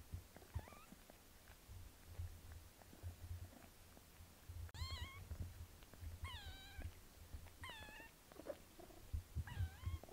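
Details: Mother cat Melania grooming her kitten daughter Pinky; five high, harmonic-rich mews rising then bending down, spaced roughly every one to two seconds, over a continuous low purr and licking sounds.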